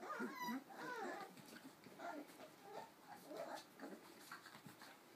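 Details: Four-week-old Cardigan Welsh Corgi puppies make overlapping thin, bending whines and squeals, louder at the start and then in softer bursts, with faint rustling underneath.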